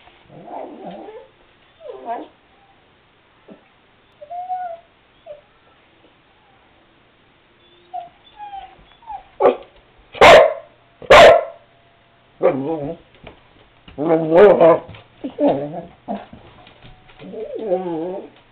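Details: Cardigan Welsh Corgi named Seamus wanting to go outside: a run of high whines and yips, then two loud sharp barks around the middle, followed by wavering whimpers and warbling whines.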